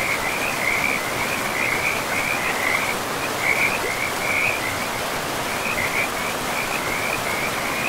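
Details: Frogs calling beside a river in a pristine, moss-covered forest: bursts of short, rapid trilled notes at a steady middle pitch come and go over a constant rushing hiss of flowing water.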